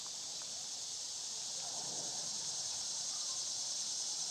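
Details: Cicadas droning in summer: a loud, steady, high-pitched buzzing hiss holds unbroken throughout, with only faint low background sounds beneath.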